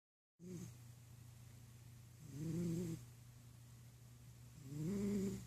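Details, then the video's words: Pet cat snoring while it naps indoors: three low, throaty, slightly rising snores, each lasting about half a second, spaced roughly two seconds apart over a steady low electrical hum. "Snoring Kitty Cat"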